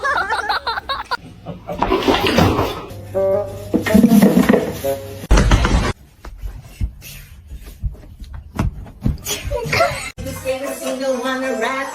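Speech, laughter and music are heard, with no clear animal sound.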